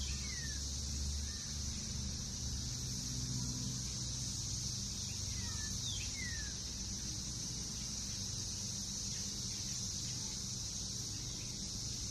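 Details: June 2021 backyard recording in NKY of emerging Brood X periodical cicadas, last seen there in 2004. A constant shrill droning chorus dominates, with a few faint, falling bird notes and low rumbling in the background.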